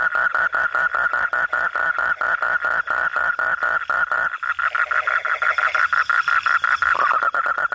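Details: Night-time frog calling: loud, evenly pulsed mid-pitched croaks about four per second, followed by a busier stretch where several frogs overlap and the rhythm blurs.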